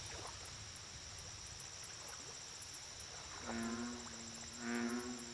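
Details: Lake ambience of steady high insect whine and faint chirps, then two low, harmonic American bullfrog croaks close together near the end, the second louder.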